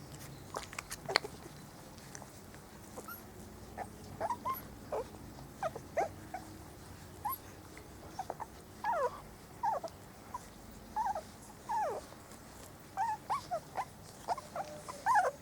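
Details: Spanish Water Dog puppies, four weeks old, out in the garden for the first time; a run of short, high, falling whimpers and squeals repeated every second or so, growing busier toward the end.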